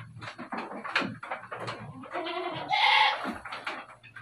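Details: Dairy goats on a farm in Bogor: one clear, harmonic, wavering bleat near the end, surrounded by clattering and shuffling barn noises and fainter bleats.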